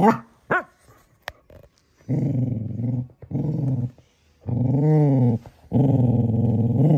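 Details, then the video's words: Male cocker spaniel puppy growling at his Baby Yoda toy: a short yip, then three long, steady, rumbling growls lasting about a second each, separated by brief silences. "Cocker spaniel gets upset with his baby Yoda"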